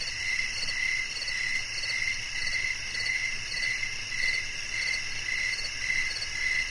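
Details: Rhythmic cricket calls, each a quick bright chirp repeated roughly every half second, layered over a steady high-pitched insect chorus. No other animals or human sounds are heard.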